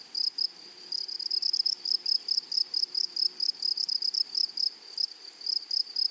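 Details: Chirping grasshopper in flowery meadowland, repeating short, bright, high notes about twice a second, some doubled, with a thin overtone above and low rustling noise beneath.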